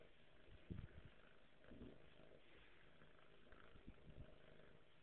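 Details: Sleepy pet cat named Buddy, a low, soft, rumbling purr with a few stronger throbbing bursts near the start and middle over a quiet indoor background.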